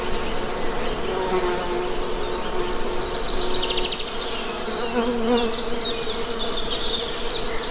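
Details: Honey bees hum steadily with a low, even drone that holds through the whole stretch, while scattered high bird chirps and twitters sound faintly in the background of an outdoor nature setting.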